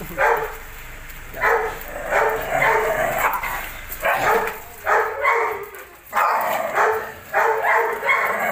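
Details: Rasping barks from a Belgian Malinois, possibly in an aggressive mood, come in clustered runs, some doubled, roughly nine in eight seconds, with faint talking in the background.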